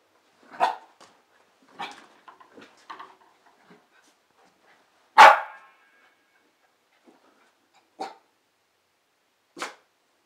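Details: Playing with a fitness ball, 9-month-old female Pembroke Welsh Corgi Foxie lets out a string of barks spaced one to two seconds apart, with one especially loud bark mid-sequence and softer yips between.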